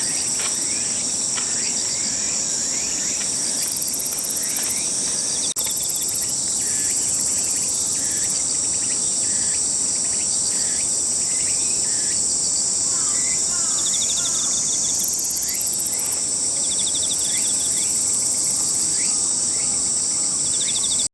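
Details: Rapid shiririri trilling of a himegisu katydid in Toyanogata Park on a summer morning ahead of the cicadas, series of dry pulses repeated throughout, over constant high insect buzzing with two louder bursts and a brief click.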